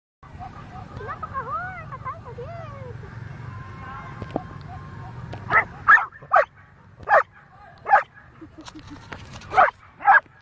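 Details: Labrador golden retriever dogs on a walk facing off with a black goat, filmed on a phone; after a few seconds of whiny, wavering vocal sounds, six sharp loud barks come in irregular succession over a low background hum.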